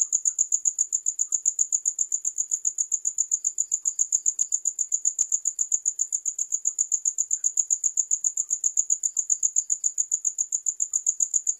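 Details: A cricket's chirp repeats in a fast, regular pulse of about 220 per minute. Each note is a bright, high, unchanging tone, and the background is silent.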